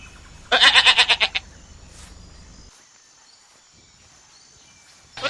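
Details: Goat from an Indian farm giving one short bleat with a fast stuttering tremolo, followed by near silence and the loud onset of another bleat at the very end.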